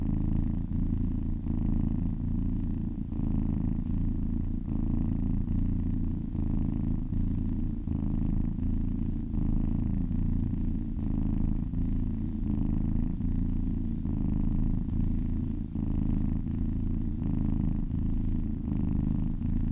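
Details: Low, throaty purring from a happy cat being massaged, an unbroken vibrating hum with gentle rhythmic breath cycles over about twenty seconds.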